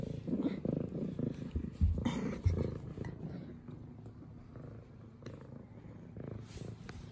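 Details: Excited female F2 Savannah cat greeting its owner with purrs and headbutts; a deep, rapid pulsing purr dominates, louder at first then softening, with a few bumps and brushing sounds close to the microphone.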